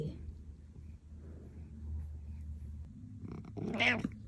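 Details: Happy male cat, a house pet, letting out one clear, tonal meow at the end after several seconds of low murmuring and a person's soft talk.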